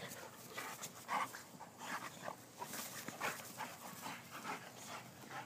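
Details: Two male Boxers playing rough together, shot on an iPhone: short gruff growls and huffing bursts come in irregular clusters, with scuffling and panting between them.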